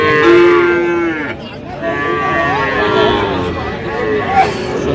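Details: Sahiwal calves at a cattle market in Madaripur, Bangladesh, on 13 January 2026; a clear, steady moo opens, followed by softer, wavering calls from other calves under background voices.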